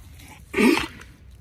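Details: Pack goat at play, giving one short, nasal bleat of under half a second that rises slightly and falls, over a low steady rumble.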